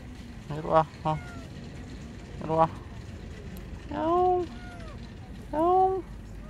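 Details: Lost palm-sized kitten meowing beneath a car while a person coaxes it out with food; after a man's voice, two loud, arched, harmonic-rich meows sound about a second and a half apart.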